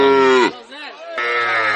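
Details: Heifer calves at a Bangladeshi cattle market give loud, close moos. A strong bellow breaks off after half a second, a softer wavering call follows, then another full, loud moo closes the clip.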